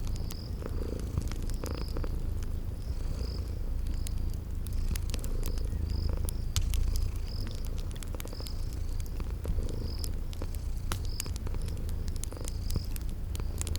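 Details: Deep, rhythmic purring of sleeping kitties runs without pause, accompanied by crackling fireplace pops and a garden insect chirping in quick high bursts, a cozy spring ambience.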